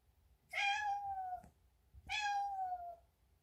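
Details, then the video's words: Tabby cat indoors in a bathroom, meowing while jumping onto the sink and moving to the mirror; two drawn-out, slightly falling meows about a second and a half apart, clear and harmonic-rich, in a quiet room. "Vocal Tabby Cat"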